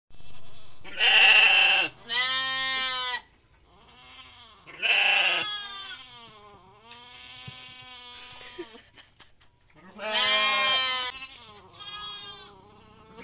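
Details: Goat bleating during an assisted birth: long, loud, quavering harmonic bleats, each lasting one to two seconds, with several spaced across the recording and quieter murmurs between them.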